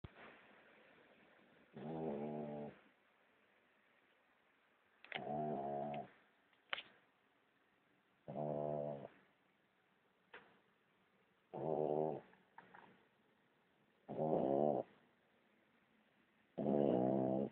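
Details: Small sleeping dog snoring loudly indoors: harmonic, nasal snore bursts roughly every three seconds, each under a second long, with faint breathy sounds between.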